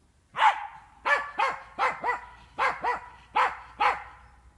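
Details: Jagdterrier in training on wild boar inside a boar enclosure, giving a steady run of sharp, arched barks, about eight in under five seconds, evenly spaced with short gaps and little background noise.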